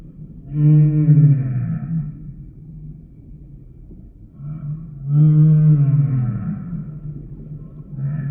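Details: Two long, deep, resonant moans of a humpback whale, each lasting over a second with bright overtones, about four seconds apart, separated by a quieter, rumbling gap.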